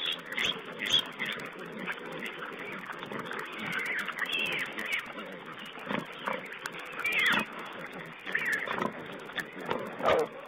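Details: Wild boar piglets feeding on a webcam recording from 19 April 2010; scattered squeals and short grunts over constant hiss, with louder outbursts near the end.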